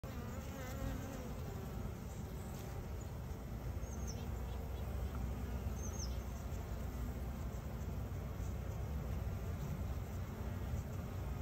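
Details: Honey bees around a beekeeping hive; a dense, steady low humming buzz of many bees throughout, without breaks, with a faint high tone overhead.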